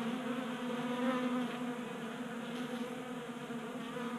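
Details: Honey bees feasting at a 3D printed feeder inside a Colorado garage on a warm January day; an even, dense wingbeat hum from many bees, briefly swelling as one flies near.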